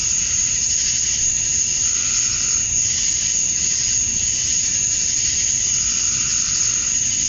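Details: Male cicadas at summer dusk in Georgia, USA, calling to attract females: a dense, constant high shrill tone, with lower buzzing that rises and falls in soft pulses every second or so.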